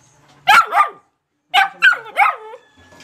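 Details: Black Labrador puppy, two to seven months old, born July 28, 2020: two loud, high yelping barks, a brief pause, then three more barks in quick sequence, each bending downward in pitch.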